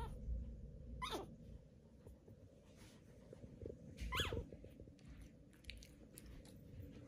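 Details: Newborn Pomeranian puppies just born, indoors: a pair of brief high, falling squeaks about three seconds apart over a quiet, low background hum with faint rustles.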